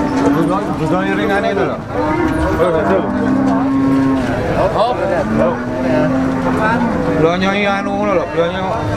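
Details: Cattle at a Ponorogo livestock market before Eid al-Adha, August 2018; several drawn-out moos follow one another over nine seconds, overlapping with talking people and general crowd noise.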